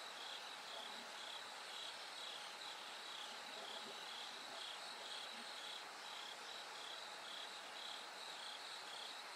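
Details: As night gives way to dawn, bell crickets keep up a high, ringing chirp repeated roughly twice per second, set against a constant background insect hiss.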